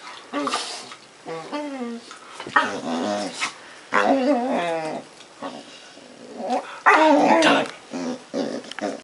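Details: Pet puppy making funny, weird noises: a run of throaty, warbling grumbles and whiny yodels in bursts of one to two seconds, some rising and falling in pitch, with a harsher, louder growly burst near the end.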